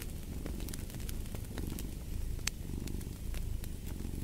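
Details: Cat purr as a continuous deep vibrating hum with gentle rhythmic swells, while a fireplace crackles and gives off bright, scattered pops.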